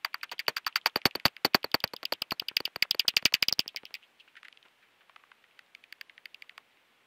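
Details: Common pipistrelle echolocation heard through a bat detector: rapid, crisp, dry ticking clicks, a dozen or more each second, loud and steady at first, then fading into scattered, softer pulses.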